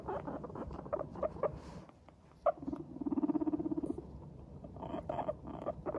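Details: Cheerful pet guinea pigs, Teddy and Abyssinian breeds, make their happy walking 'pupupu' chatter: scattered soft putts, then a fast, even burst of about a dozen rapid pulsed notes, followed by more quick chirpy putts.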